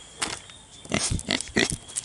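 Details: Two-week-old Kunekune piglets giving short, harsh, noisy grunts, about five bursts spread over two seconds, with a faint steady high tone in the background.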